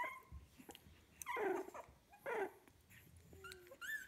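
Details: Fifteen-day-old puppies of one litter giving a few soft, falling whimpers and a short squeak over quiet background rustling and low handling noise.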